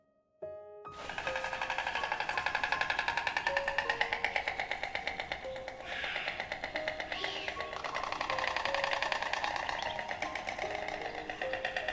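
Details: Only background music plays, with steady sustained tones and a fast, busy rhythm and no animal voices.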